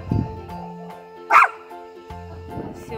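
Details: A Chihuahua in the Leningrad region gives a sharp single bark, answering distant dogs barking in an evening "roll call", on a snowy early-May evening, over a steady tonal musical background.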